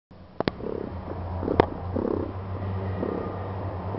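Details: A pet cat named Daisy purring loudly: a low, steady rumbling drone that runs almost continuously, with a couple of sharp clicks near the start and a brief knock midway.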